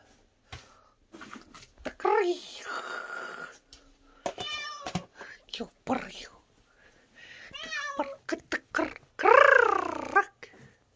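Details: Cat giving several drawn-out, wavering meows, one midway and two longer, louder ones near the end, amid a person talking and handling noises.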